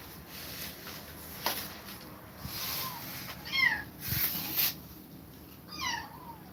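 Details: Kittens separated from their mother after her repeated attacks, indoors; a few high, short mewing calls with falling pitch, around the middle and end, over a low background hum and some rustling.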